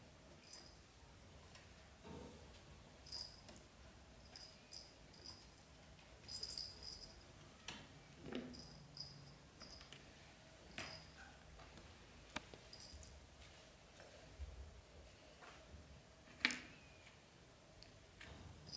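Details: Newborn British Shorthair kittens, black golden and blue golden, in a litter with mother Samel during their first 30 days, give many short thin high squeaks scattered through the recording, with soft rustling and small knocks between them.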